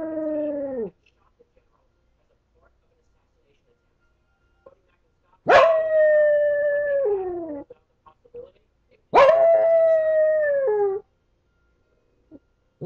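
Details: Pet dog howling when it thinks it is alone at home: a long tonal howl, then two more sustained howls, each starting high and easing down in pitch with a slight waver before dropping off, separated by quiet gaps.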